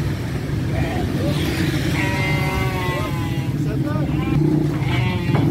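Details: Garut lambs about three months old on their way to Purwakarta, bleating repeatedly: several quavering, tremulous cries, some rising then falling, spaced a second or so apart over constant heavy vehicle noise.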